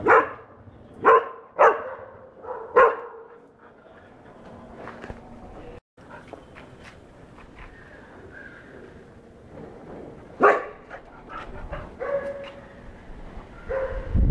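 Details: Golden retriever puppy, four months old, reacting to its first cow with four quick sharp barks in the opening three seconds, a quiet stretch, then a fresh bark burst near ten seconds and softer whiny notes after.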